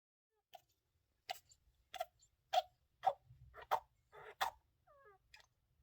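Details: Pet hamster named Honki with a cold making worrisome noises: about ten short, sharp, clicking snuffles at uneven intervals over six seconds, with a few faint tiny squeaks near the end in a quiet room.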